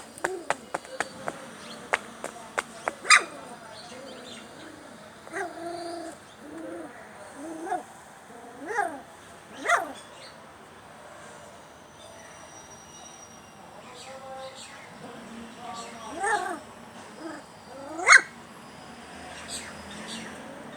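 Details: Puppies crying for their mother, hungry and craving milk and food: repeated arched, high-pitched whines and yelps at uneven intervals over about twenty seconds, some louder spikes, with clicking sounds at the start and faint background noise.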